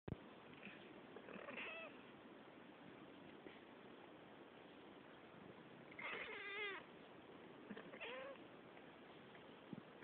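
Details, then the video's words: Two pet cats, Cille and Claudia, chatting: a quiet, noisy background broken by a short meow near the start, then a louder wavering meow around six seconds and a brief rising meow near eight seconds. "Cat talk"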